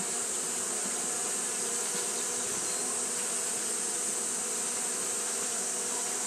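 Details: Japanese honey bees fanning in the heat: an even, droning wing buzz with no pauses, backed by a persistent piercing high hiss across the whole stretch.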